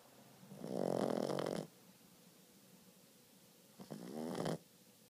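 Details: A 4-month-old Boston Terrier puppy snores in two long, rattling breaths, the first stronger and longer.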